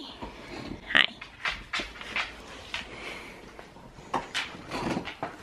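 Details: During friendly wrestling, a husky lets out snorting, breathy grunts and one sharp squeaky yelp near the start, followed by irregular huffs and snuffles over several seconds.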